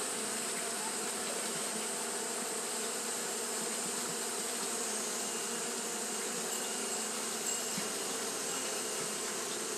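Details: On a hot day, Japanese honey bees keep up fanning behaviour, producing a continuous layered hum. Several low tones drone beneath a wide airy hiss, and the sound stays even from start to finish.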